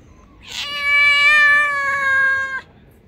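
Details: Loud, cheeky stray cat met on the street delivering a long, loud, clear meow of about two seconds, starting with a brief rising onset then holding a rich, steady harmonic tone before stopping abruptly.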